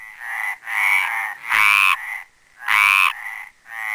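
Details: Male Mediterranean tree frog (Hyla meridionalis) at the Planxista pond in Les Preses, Garrotxa: drawn-out, harsh, harmonic croaks with two loud, deeper-edged calls standing out over softer overlapping croaks from other frogs.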